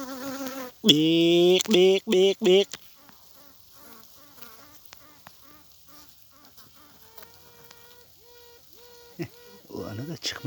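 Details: Western honey bee (Apis mellifera) queen piping at 8 pm in a requeening hive with several queen cells: a newly emerged queen gives a long loud toot, then short tooting pulses, answered by fainter pulses from rivals still in cells.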